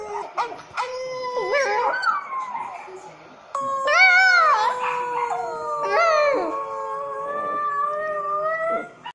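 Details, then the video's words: French poodle puppy howling along while watching videos, drawn-out wavering wails that slide slowly downward, overlapping music and other voices playing from the screen. "French poodle auyando"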